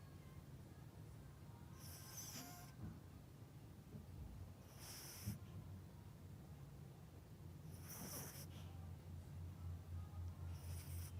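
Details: Pet Yorkshire Terrier named Melody, fast asleep at home, gives steady snores roughly every three seconds, breathy hisses above a low rumbling drone, in a quiet indoor setting.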